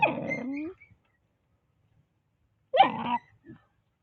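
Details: Keery the monkey yells while eating a watermelon: a harsh, buzzy cry with a falling tail lasting under a second. After a pause of about two seconds, a second shrill, wavering cry follows, then a brief soft grunt.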